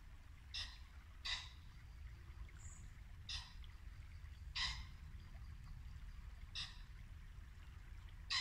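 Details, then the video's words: Muntjac deer in Norfolk woodland, late winter at dusk. Six quick, harsh barks of varying strength are spread over eight seconds, with a brief high bird note and a constant babbling brook beneath. "Barking muntjac deer"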